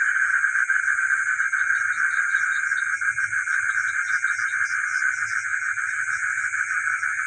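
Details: A village night rings with a crowded frog chorus, rapid overlapping calls forming a continuous pulsing mass beneath an unbroken high buzzing band.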